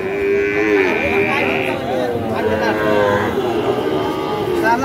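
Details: A fattened Sahiwal bull or calf calls at Ambari cattle market in Dinajpur on 18 September 2023. A long, level moo opens the clip, followed by softer bawling amid the noise of people talking.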